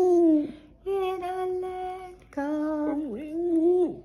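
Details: A Boston Terrier named Skipper, just woken from sleep, howl-sings inside a small room: drawn-out, smooth tones with a quick dip in pitch midway through the last phrase, split by a brief pause.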